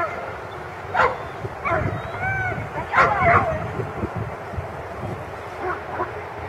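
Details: A German Shepherd at a 2015 protection-dog competition exercise gives short, rough, harsh barks, single or in quick pairs, a second or two apart, with people talking and chatter underneath.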